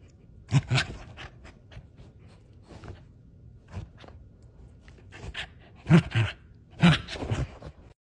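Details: Cardigan Welsh Corgi panting indoors: soft breathy huffs in uneven bursts, a few louder, harsher exhalations clustered toward the end, with a brief human laugh nearby.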